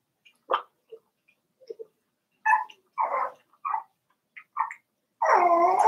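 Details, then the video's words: Daisy's Cavalier King Charles Spaniel puppies, four weeks old, in an indoor pen: a quick series of short yelps and squeaks, ending in a loud, drawn-out whine held for nearly a second. "Daisy's Cavalier Puppies Livestream: 4 weeks old"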